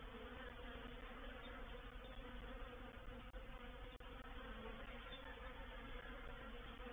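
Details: Honey bees of a reproductive swarm settling into a swarm trap, 04/07/21: an even, heavy droning buzz with a low pitch throughout, with a couple of small clicks partway through.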